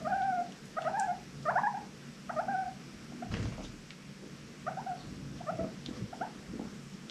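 A guinea pig gives short, squeaky wheeks in quick bursts, each note bending sharply up and down.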